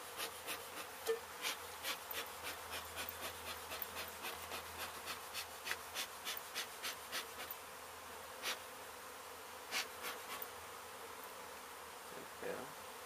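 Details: A disturbed honey bee colony at a demolition site in Mission, Texas, where the hive was hit by crews and then relocated; a continuous hiss-like droning runs beneath rapid, irregular tapping and clicking, roughly three per second.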